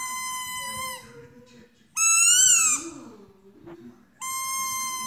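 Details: Dog howling along in drawn-out, squeaky, high-pitched notes, a steady tone, then a louder rising and falling wail, then another steady note, with soft low background hum.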